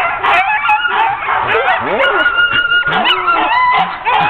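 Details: Sled dogs of a ten-dog team, hooked up for a training run on October 16, 2010, yelp and bark together in a loud, unbroken chorus of high, sliding cries and short sharp barks.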